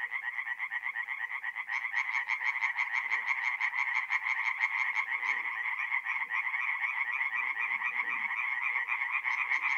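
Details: A chorus of tree frogs at a North-East Italian forest pond on an April night. Several callers overlap in a dense, buzzing wall of pulsed croaks, and a sharper, higher rattle joins partway through.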